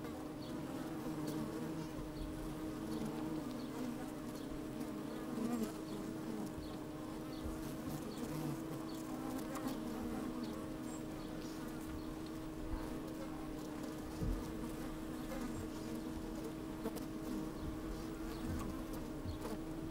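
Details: Working honey bees heard from inside an opened hive on a sunny, breezy day: a dense, unbroken buzzing hum with a clear sustained tone, rich low rumble beneath, and frequent faint ticks and crackles of bees crawling.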